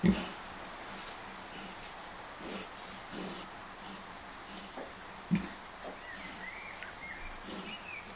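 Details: Short, deep grunts come at uneven intervals from Kunekune sow Bella, a grumpy mother with five-day-old piglets she has kept feeding well despite being unwell. Bird chirps are faint behind.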